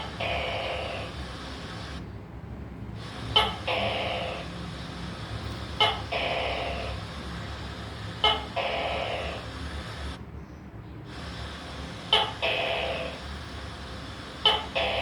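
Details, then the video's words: Gecko calling in a repeated series: each note opens with a sharp click and runs into a hoarse, croaking burst. The notes come about every two to three seconds, with brief silent gaps and a steady low hum underneath. "Tắc kè kêu gecko leopard sound"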